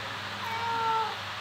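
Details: Pet domestic cat meowing once, a clear, steady, tonal meow lasting about half a second that rises slightly then falls away, as a person talks to it about food indoors.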